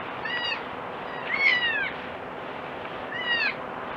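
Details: Crying goat kid giving three brief, wavering, falling bleats with rich overtones, the middle one longest and loudest, against a constant hiss.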